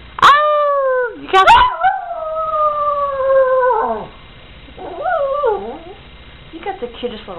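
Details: Dogs howl together with their owner indoors: a short rising howl, then a long, steady, slowly falling note of about two seconds, followed by wavering, quavering howls and brief yips.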